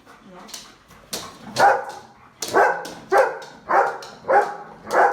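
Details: Domestic dog giving an attention-seeking bark, meant to irritate and get the owner's attention: a steady run of sharp, mid-pitched barks at about two per second, fairly even in tone, with faint speech in the background.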